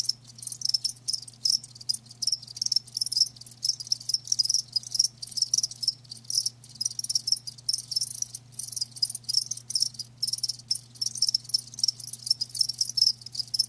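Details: Several live crickets chirp nonstop, a thick high-pitched pulsing trill with rapid repeated bursts and barely any pause, backed by a faint low electrical hum.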